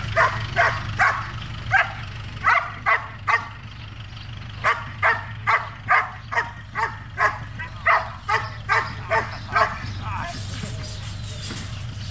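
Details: Barking from Trueno, a Belgian Malinois being trained in Zumpango, State of Mexico: a steady series of loud, evenly spaced barks, over twenty in twelve seconds, above a persistent low hum.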